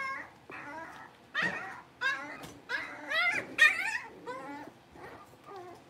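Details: Young blenheim Cavalier King Charles Spaniel puppies, part of a litter of five, in their new larger indoor pen. A run of about ten short, high, harmonic whimpers and yips, some sliding downward, spaced roughly half a second apart.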